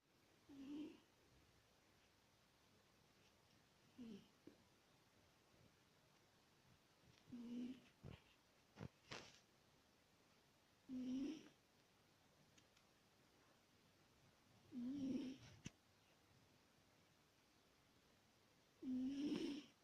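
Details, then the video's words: Adult female British Shorthair cat asleep indoors, snoring like an old grandmother: low, hoarse snores with a slight rising whistle, coming roughly every four seconds, with brief faint clicks between them in a quiet room. "Кошка храпит"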